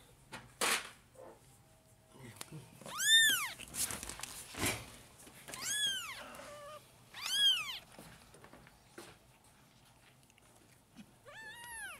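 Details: Hungry four-week-old kittens, five of them, fighting for milk during bottle feeding; repeated high arched mews every second or two, with a brief faint voice and handling rustle between calls.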